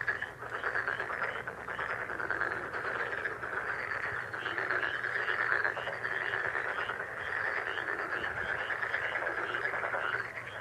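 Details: Frog chorus, described as a lucky frog sound: an unbroken, dense, buzzing wall of rapid pulses that holds steady throughout, with no separate deeper croaks.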